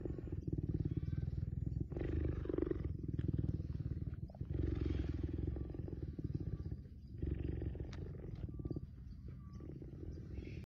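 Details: A cheetah being petted purrs continuously in a deep, throbbing rumble. Each stretch lasts about two seconds before a brief pause, and the rhythm stays steady throughout.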